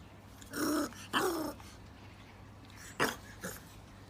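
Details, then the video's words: Bulldog puppy making brief growling grunts, two close together near the start and two more shorter ones after a quiet pause, over a low steady hum. "Bulldog Puppies 😍 Compilation Bulldog Puppy Videos"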